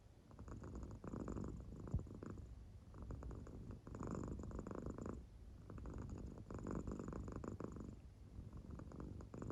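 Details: Deeply sleeping American Shorthair named Claire purrs steadily, the low rumble rising into brighter breathy bursts roughly every two seconds as her round belly marking moves up and down.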